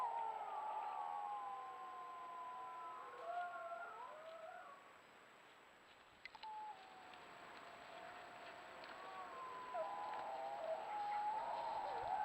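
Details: Chorus of wild wolves in the Yukon recorded by a trail cam, several long overlapping howls gliding and wavering at different pitches, easing off midway, then resuming with a steady tone above.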